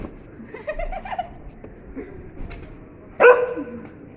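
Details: Sivas Kangal puppy busy with a bone gives one sharp, loud yelping bark near the end, after a stretch of soft Turkish conversation and quiet room noise.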